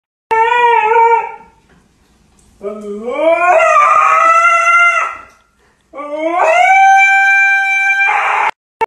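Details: Siberian husky. Three long, piercing vocalizations from a Siberian husky, each starting low and sliding upward into a strained, harmonic-rich scream. The second and third cries climb highest and end abruptly, with brief pauses between them.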